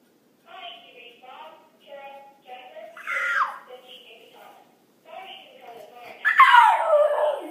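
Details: Pet dog howling indoors at a telephone answering machine: the machine's recorded speech plays in bursts while the dog gives two falling, whiny howls, the second longer and louder, sliding downward near the end.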